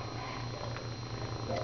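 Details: A neutered male domestic shelter cat, described as talking and purring nonstop, purrs steadily, a low, rumbling pulse with brief breaks between breaths.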